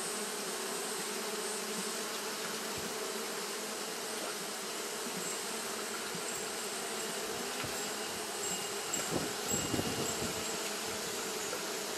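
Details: Japanese honey bees fanning constantly on a hot day: a dense, steady hum with layered low droning tones and a hiss on top, plus a few soft bumps and rustles near the end.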